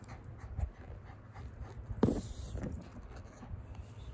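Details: Female Kooikerhondje puppy in Japan, born May 2021, resting during morning shuttle-run training; she gives fast, soft, breathy panting with one sharp click or knock partway through.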